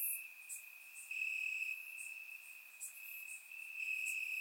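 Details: Summer-night crickets in grass, Bulgaria, captured with a surround microphone: unbroken shrill trilling that brightens for stretches of about a second, accompanied by faint high clicks.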